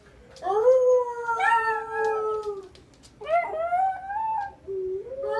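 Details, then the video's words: Young Miniature Schnauzer puppy howling by night at the full moon, giving short rising howls that swoop upward then glide gently downward, one after another with brief pauses, ending on a softer upturned wail. "Baby schnauzer howling"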